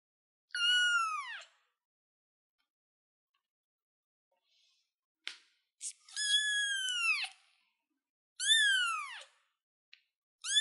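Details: Young kitten sitting on a chair, meowing: three long, high cries that fall in pitch, with short clicks and a brief squeak between them and another meow starting at the end.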